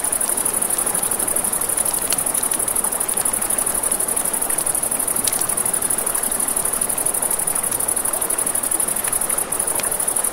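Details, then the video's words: High, even cricket trilling continues steadily through a night by a river, backed by rushing water and scattered crisp crackles from a campfire. "Crickets, Ambient Nature Sounds"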